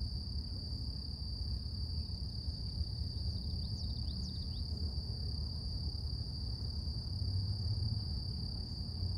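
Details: Delicate morning song of cicadas in nature: one unwavering shrill tone with a faint higher layer, a short cluster of quick chirpy sweeps around the middle, and constant deep background rumble.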